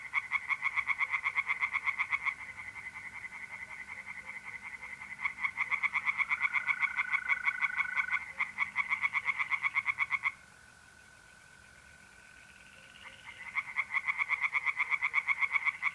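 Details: Singing tree frogs in a pond by night, mid-April, north-east Italy: bouts of fast rasping pulses break off and restart, while mole crickets keep up a level, continuous trill through the pauses.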